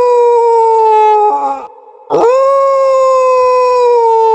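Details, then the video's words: Dog howling in long, steady, even tones, then a brief break before a second sustained howl that swells and slowly sinks in pitch. "Dog Howl to make your Dogs Howling"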